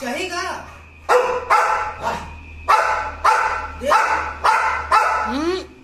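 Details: Repeated loud barks from an American Pit Bull Terrier, kept with an American Bully: roughly eight gruff, punchy barks at an irregular pace, some with a rising yelp-like onset, low household hum underneath.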